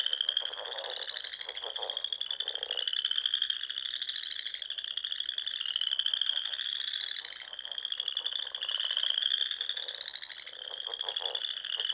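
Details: Frogs singing in spring at dusk in the rolling Sandhills of Nebraska, overlapping high trills rising in pitch in roughly two-second runs, backed by rapid lower croaking bursts early on.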